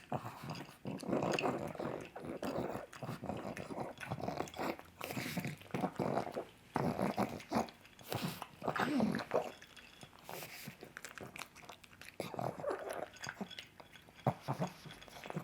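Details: Pug eating sausage, her favourite breakfast, indoors: wet smacking, chewing and snuffling bursts with low grunting growls, irregular and separated by short pauses.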